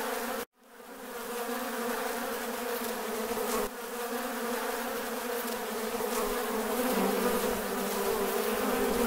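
A mass of honey bees produces a continuous, layered drone, their wingbeats blending into a steady low hum. The buzz holds constant throughout, swelling slightly as more bees pass close.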